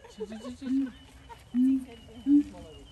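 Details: Siamang at Dubbo Zoo: short, steady, hooting notes at 0.7, 1.6 and 2.3 seconds, the last one loudest, after softer chatter at the start.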